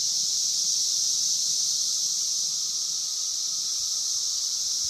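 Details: In Logan, Ohio, a 17-year Brood of Magicicada periodical cicadas fills the air with a steady, unbroken, high-pitched buzzing chorus.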